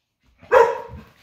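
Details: Ludo, a domestic dog that likes to play though unhealthy, giving one loud, sharp bark with a short trailing tail during a morning barking session at home.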